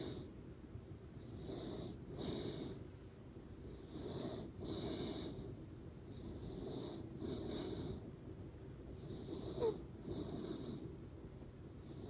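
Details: Ranmaru, a Shiba Inu dog, snores while asleep, nose whistling "pū pū" in a steady run of breathy pulses about every one and a half seconds, with thin high whistles on each breath.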